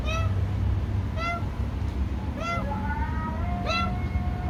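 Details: Wild cats that stay afraid of a person: several short, high mews repeat about once a second, some overlapping, over a steady low rumble of background noise.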